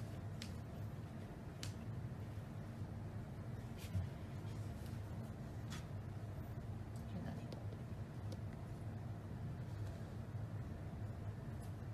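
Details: Indistinct speech over a steady low rumble of vehicle traffic, with occasional faint clicks; no animal voices can be picked out.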